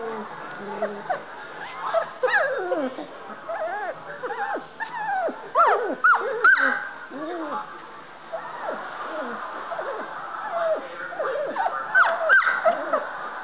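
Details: Standard Poodle puppies learning to play and bark: many overlapping high yips, squeaks and whimpering cries in quick irregular bursts, with low growly sounds from the playing litter.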